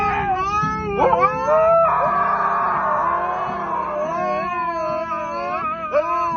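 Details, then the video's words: Funny noises from a pet dog: a long, wobbling howl-like whine that rises, sags and warbles in pitch, with brief sharp upward bends and a steady low background drone throughout. "Dogs Making Funny Sounds"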